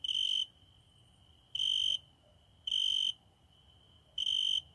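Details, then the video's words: A nightly cricket at a window: four loud, high, metallic trills of about half a second each, evenly spaced over several seconds, with quiet low hum between them. "My private cricket singing every night at my window"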